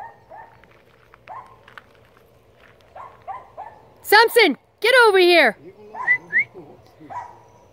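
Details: Poodle barking at elk outdoors: two loud, high-pitched, yelping barks with wavering pitch near the middle, then a few shorter, softer yelps, with people talking quietly throughout.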